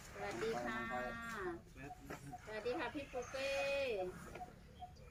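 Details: An Asian elephant gives loud, harmonic trumpeting calls, crying out on seeing someone and startling its mahout, who rushes over to look, with people talking in between.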